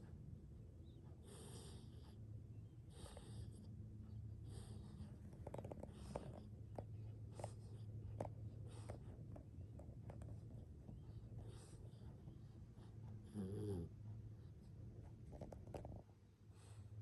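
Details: Sleeping Pit Bull puppy snoring: soft, rough breathing bursts repeated about every one and a half seconds, low and muffled, with a quiet indoor background.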